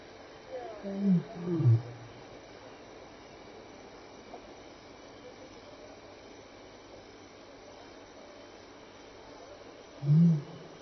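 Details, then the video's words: Wild lion walking past at Elephant Plains Game Lodge, South Africa, 26 May 2011, between 6 and 7 PM, contact calling: a pair of deep, falling grunts, then after a long pause one more low grunt, over a steady insect chorus. "Lion and Sounds"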